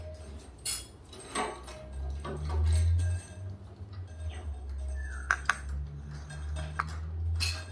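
Metallic clinks and a bell-like ting over a steady low hum, with no clear animal voice.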